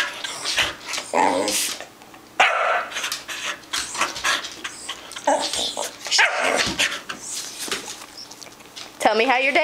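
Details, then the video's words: Pet dog that loves cheese, begging for it: irregular short barks and grumbling vocal bursts come throughout, ending in a rising, wavering howl-like whine, while a person keeps talking to it. "Give me the damn cheese!"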